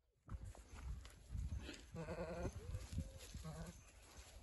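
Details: Boer goat ram at a livestock sale lot gives two short, nasal, harmonic bleats, the second one briefer, over steady rustling, thumping and handling noise with a constant high hum.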